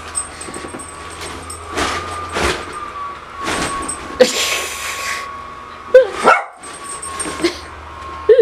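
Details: Female dog barking at her owner dressed in a new Pikachu costume, upset by the outfit; sharp broadband barks come in scattered bursts over a steady background hum, with a cluster of louder barks near the end.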